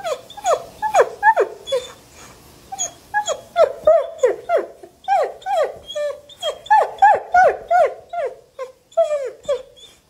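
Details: German Shepherd puppy whimpering indoors: a fast series of high, falling yelps and whines, about three per second, uneven in timing, with faint background noise.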